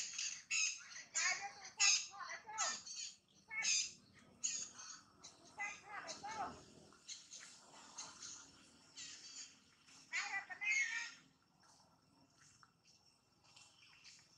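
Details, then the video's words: Pregnant mother monkey named Jane: a run of harsh, high squawks with ringing overtones comes in quick irregular bursts, then fades to scattered faint chirps and quiet background noise. "Pregnant Mom Jane showing surprise act such want to give a new life baby now, MONKEY SOUND"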